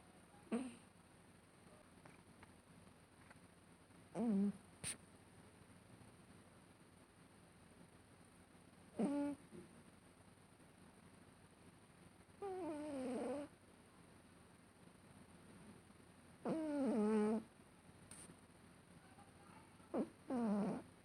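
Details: Female cat making funny sounds while asleep: six or so short squeaky, mew-like bursts spaced irregularly over twenty seconds, several bending downward in pitch, with quiet room hush between them.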